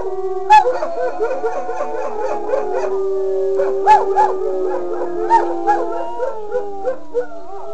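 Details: Wolfdog howling: several long, steady, tonal howls overlapping in a chorus, with warbling, wavering pitch and short yips and barks breaking in.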